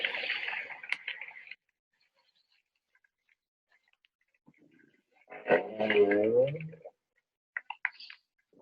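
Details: A southern right whale gives a low, rising up call after a brief human voice; the up call is believed to be its primary contact call and lies at 50 to 200 Hz.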